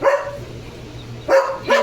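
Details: Leo, a pet German Shepherd, gives three loud, sharp barks: one at the start, then a pause, then two more in quick succession, over a low steady hum.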